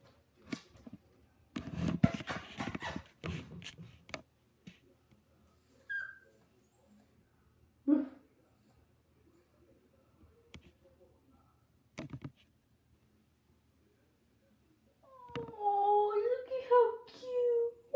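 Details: Chihuahua whimpering indoors: after a stretch of human talk and a few scattered knocks, a burst of high, wavering whines with bright overtones rises and falls over the last few seconds, several notes run together.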